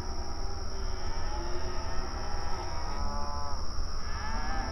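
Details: Outdoor pasture herd of open range cattle communicating while grazing: softer, overlapping drawn-out moos come through a dense low rumble, with a constant thin high whine above.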